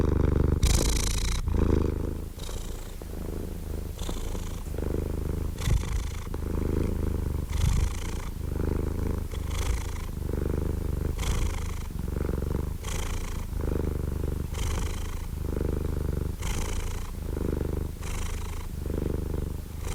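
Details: Soft, steady purring from a cat, a low rumble changing with every breath roughly once a second, some seventeen cycles, slightly louder at the start.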